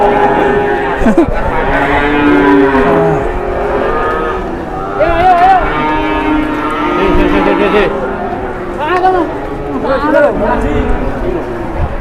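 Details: Jumbo cattle in the morning, several overlapping lowing moos spread across the clip, some wavering and bending in pitch, mixed with steady human chatter, crowd noise and a little music.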